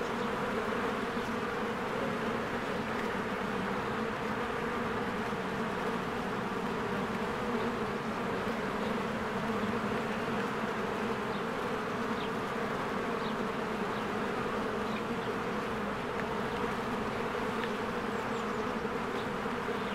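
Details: Swarms of honeybees working at their hive in spring, flying in and out; a thick, unbroken buzzing hum fills the whole stretch, steady in pitch and loudness, with a few faint high ticks above.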